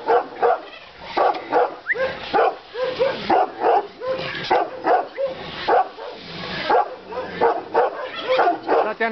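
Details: Romanian Raven Shepherd Dog (Ciobanesc corb), a 7.5-month-old of a Carpathian sheep and cattle guardian breed, barks in rapid, repeated bursts, several each second, over a person speaking encouragingly in Romanian.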